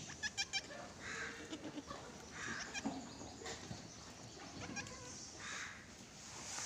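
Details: Goats at Lucky goat farm in Gulbarga, Karnataka, giving muffled, mid-pitched bleats about every second and a half, each lasting around half a second, over steady background hiss with a few sharp clicks near the start.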